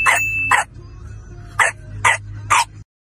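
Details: Domestic dog giving five abrupt barks, a close pair followed by three spaced about half a second apart, with low background music droning underneath, from a lesson teaching young children animal sounds.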